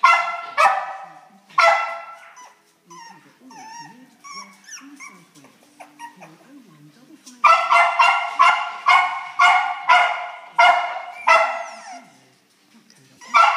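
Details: Cairn terrier x miniature schnauzer cross puppies give shrill, repeated yips and high barks.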